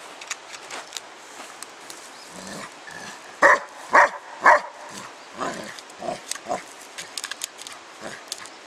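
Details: Spike the dog outdoors, playing with a 10 lb weight: three loud, sharp barks in quick succession near the middle, with quieter scuffling and softer vocal bits before and after.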